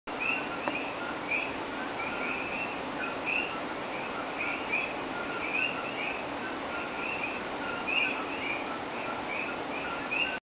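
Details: Common coqui frogs call at night in El Yunque, Puerto Rico, a chorus of short, repeated two-note chirps over a steady insect hum.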